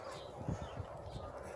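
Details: A male lion at a zoo gives deep, throaty grunts that roll out in a short run of low pulses, the tail of a roar, with people speaking quietly nearby.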